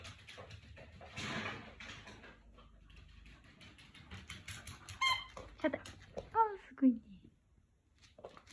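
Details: Jack Russell Terrier at play indoors, a run of short squeaky whimpers and yelps, each falling slightly in pitch, bunched near the end, with a person's voice and shuffling early on.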